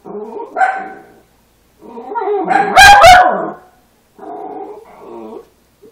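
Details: Three-week-old puppies give three bursts of harmonic, wavering whines and yelps, the middle one loudest, broken by a sharp crackling handling noise, with short silences between.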